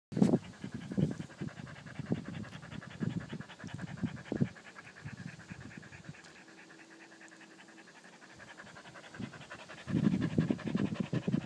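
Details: Pungsan dog panting in quick rhythmic breaths: short low huffs for about four seconds, a quieter pause with faint breathing, then the fast panting returns near the end.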